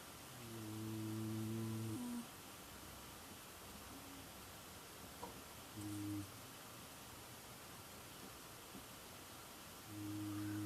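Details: Female southern tamandua snoring while asleep: three low, steady, hum-like snores, a long one of about two seconds, a short one near the middle and a louder one at the end, separated by quiet breathing.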